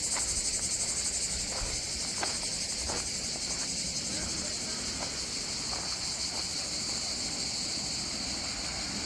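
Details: Cicadas singing on the southern French coast around Antibes and Cannes. A dense, unbroken high-pitched buzz fills the air throughout, with faint voices and occasional soft clicks underneath.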